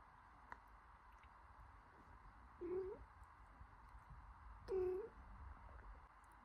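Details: Mother cat caring for her newborn kitten, cleaning and warming it; two soft, short, low mews about two seconds apart over quiet indoor background hiss.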